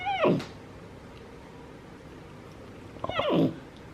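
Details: Pet capuchin monkey indoors, one of two brothers that talk to each other and groom: two short, high descending squeaky calls about three seconds apart, with quiet room background.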